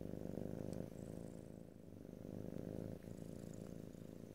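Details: Close-miked house cat giving a deep, even purr that swells and fades with inhaling and exhaling, a faint high tick or two in the background, no speech.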